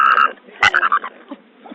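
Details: Staffordshire Bull Terrier making its typical weird noise, calling for a companion to come back: short high warbling, wavering tonal yelps in two bursts separated by a sharp click, then softer trailing sounds indoors.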